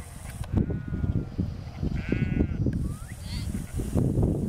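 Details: Sheep in a field being herded by Lars, a four-year-old working border collie; a brief wavering harmonic bleat and a thin steady tone over constant low rumbling wind and handling noise.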